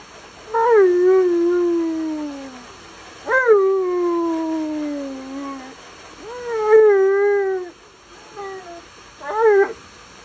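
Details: Complaining male Alaskan Malamute during a bath he hates: four loud whining howls, each starting with a sharp upward yelp then gliding down in a long moan, with steady hum behind.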